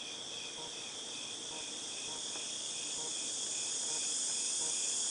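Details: Cicadas make a steady, high-pitched electric drone that hangs unbroken in the air, recorded in August 2018.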